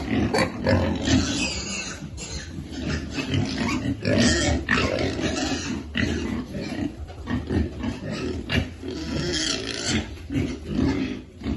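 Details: Piglets being fed on a farm: dense, rough low grunting and squealing snorts overlapping continuously, with bursts of noisy feeding sounds throughout.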